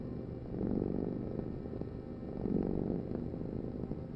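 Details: Domestic cat purring steadily, a low rumbling drone that swells with each breath, two slow surges in about four seconds, with no other clear sounds.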